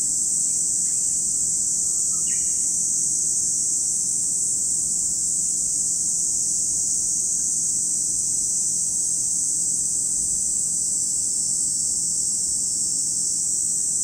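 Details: Cicadas droning at Lake Kamo in Sado City, Niigata Prefecture, Japan; a constant shrill whine fills the recording while a few faint bird chirps appear early on.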